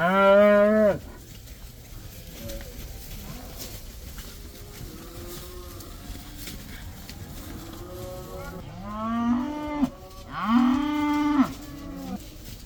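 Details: Herd of around 80 cows allowed outdoors for the first time: a loud moo at the start, scattered quieter lowing from several animals in between, then two strong harmonic moos close together toward the end.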